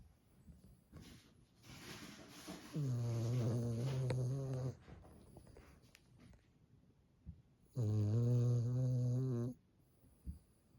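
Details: Small tricolour Cavalier King Charles Spaniel snoring loudly; two long, deep, rasping snores about five seconds apart, with quieter breathing between them indoors.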